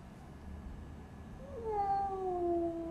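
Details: Cat heard amid a fight after being brought into a new house: a single drawn-out tonal yowl sliding slowly downward over about a second and a half, preceded by faint low rumbling and a person speaking softly.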